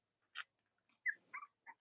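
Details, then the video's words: Newborn-litter Cavalier King Charles Spaniel puppies of Robin and Myra, kept indoors with their nursing mothers in late October, produce five separate short squeaks and yips, one sharply falling, with quiet gaps in between. "Cavalier Puppy Live Stream: Robin & Myra's Puppies on Split-screen"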